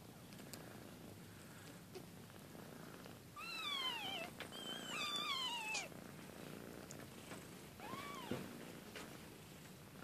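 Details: Two-week-old kitten mewing: three thin, high, downward-sliding cries with clear overtones, spaced a few seconds apart, over a steady soft background hiss.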